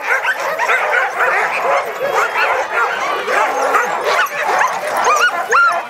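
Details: Sled dogs at Caribou Crossing during dog sledding, many animals together giving a dense, continuous chorus of high excited yelps and barks that overlap without pause, some rising whines standing out near the end.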